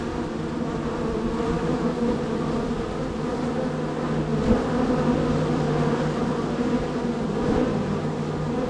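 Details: Honey bees crowding the entrance of hive #3 on an active day: constant buzzing hum with a lower steady tone underneath and a brief sharp knock at about four and a half seconds.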